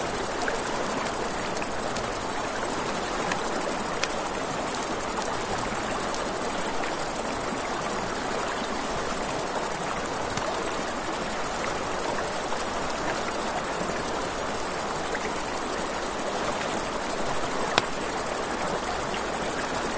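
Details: Night-time crickets beside a river give a constant shrill, even trill, with snapping campfire crackles and a broad wash of running water beneath.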